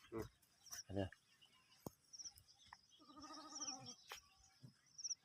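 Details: Sheep among sheep and lambs during mating, giving one quavering, wavering bleat of about a second, with scattered clicks and knocks and brief human voices before and after.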